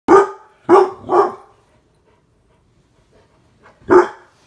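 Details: Mastiffs barking in play while attacking spirit fingers indoors: four deep, loud, gruff barks, three in quick succession, then a pause and one more bark.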